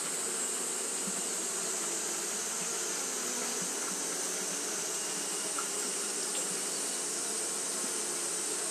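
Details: On a hot day Japanese honey bees keep up fanning, producing a steady rushing hum of massed wingbeats, with a few brief louder buzzes of individual bees passing close.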